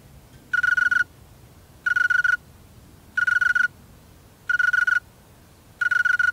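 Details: A male snowy tree cricket chirps by its wings: five short trilled pulses, each of about six rapid beats at a steady pitch, spaced roughly 1.3 seconds apart, in near silence.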